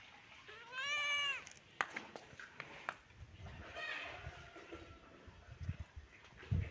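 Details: Baby kitten and cat playing together in a happy mood; one loud, arched, rising-then-falling meow just after the start, a softer drawn-out meow midway, with scattered clicks, taps and thumps from play.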